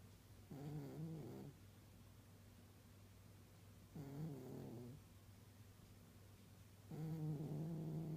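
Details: An old pet cat snores while asleep. There are three raspy, rumbling snores, each lasting about a second and spaced roughly three seconds apart, over a steady low hum.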